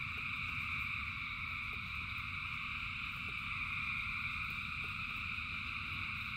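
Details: A huge frog chorus during rain, many voices merging into a seamless buzzing hum at several pitches, steady in volume, punctuated by occasional soft taps over a low rumbling rain background.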